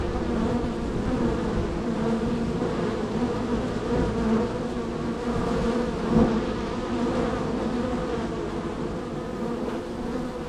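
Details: Honey bees at hive number 3 in a row of hives, very active with many entries and departures: a dense, steady droning hum with layered low harmonic bands and a slight rise near six seconds.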